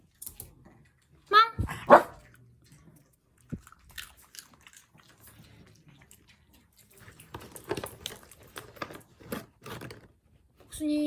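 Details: A pet dog waiting for its turn to eat lets out two sharp, high barks, then quieter chewing and clicking sounds while a person speaks Korean softly.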